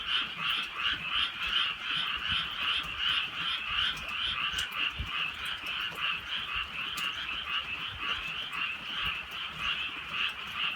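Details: Countryside frogs in drizzle at night, a thick chorus of fast, buzzy pulsed croaks overlapping without pause, with occasional sharp clicks and light rain in the background.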